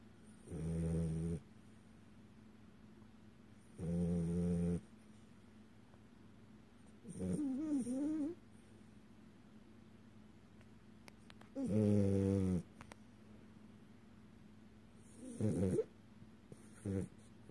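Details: French Bulldog, a male pet, snoring during REM sleep with flickering open eyes, indoors in October 2018; low, rasping snores with nasal harmonic whines, five to six bursts roughly every three to four seconds, separated by quiet breathing.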